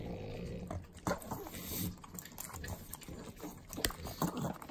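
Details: Pugs, three of them, eating butter at home in Southern California's Inland Empire, give short nasal snorts and sharp wet licks, spaced irregularly about once a second, over a steady low hum.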